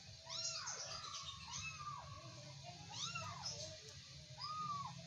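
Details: Kittens tussling in play produce around five drawn-out, bowed meows at uneven intervals, with a soft steady hum in the background.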